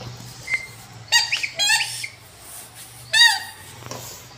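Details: Rottweiler indoors in a small room, giving several high, squeaky whines in quick bursts with a faint steady low hum behind them.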